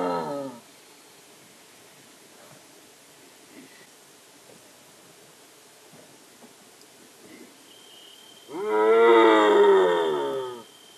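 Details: A striped hyena from India: the tail of one call opens the recording, then a long quiet stretch, then a loud, rich, quavering moan of about two seconds near the end.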